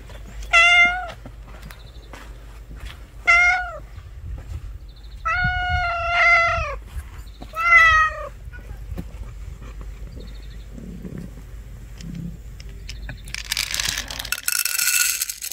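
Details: Street cat left without its food gives five plaintive meows over the first eight seconds, short, then longer and doubled, rising and falling. Quiet follows, with soft low thumps and a burst of broad rustling noise near the end.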